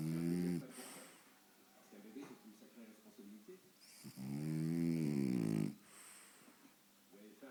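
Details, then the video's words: Faro the French Bulldog, sound asleep indoors in front of the TV, lets out a short snore, then a long, rough, wavering snore of almost two seconds, with softer murmuring sounds filling the gaps. "faro mon bouledogue français ronfle devant la télé!"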